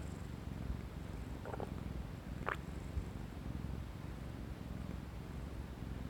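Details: Tabby cat purring as it falls asleep while listening to a stomach; a steady, low continuous rumble with a couple of brief higher rustles or clicks.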